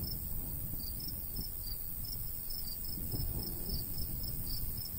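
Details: ['In the summertime countryside by a golden wheat field, crickets give quick, high repeated chirps while a heavy low rumble of breeze swells and fades behind them.']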